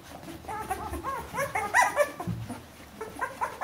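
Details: Bernese Mountain Dog puppies, a litter 14 days old, indoors, giving short high whimpers and squeaks with arched, harmonic-rich notes, several overlapping at irregular intervals.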